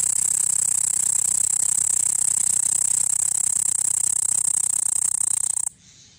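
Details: A cicada on the net window of a room gives a loud, steady, high-pitched buzzing drone that cuts off abruptly near the end.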